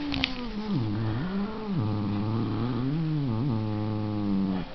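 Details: Low, throaty cat moan that rises and dips in slow waves, sustained without break for several seconds in a small indoor space.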